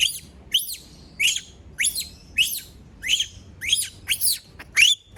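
A young monkey gives piercing, high squeals, each sweeping sharply upward and repeated roughly twice a second. These distress screams come when it is left on its own, over a quiet background.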